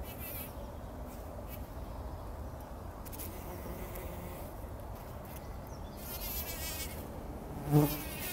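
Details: Bumblebees rolling in poppy blossoms early in the morning before sunrise, taking a pollen bath, 2019; a low, steady hum runs throughout, swelling into a louder, closer buzz near the end, with faint high chirps in the background.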